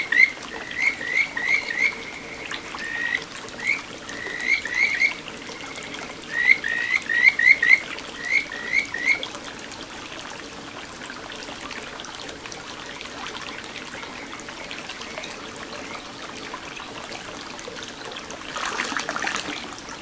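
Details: Kajika frog singing in a small satoyama stream in Ichihara, Chiba, Japan, filmed 9 June 2022; short whistled notes and quick trilled bursts repeat for about nine seconds, then only the trickle of flowing water remains.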